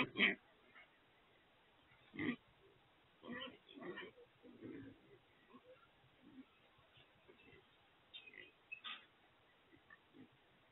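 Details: Wild pigs (feral hogs) trapped in a corral trap during trapping and loading: short harsh squealing bursts and grunts scattered across the clip, strongest near the start and around two to four seconds, over a faint steady background.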